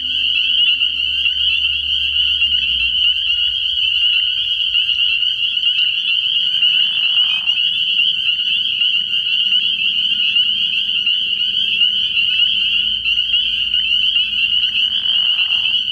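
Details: Spring peepers calling in a dense chorus from a frog pond at night early in the year: a steady, shrill, high peeping wall of sound without pauses, with a brief lower sliding sound around the middle and a faint low rumble beneath.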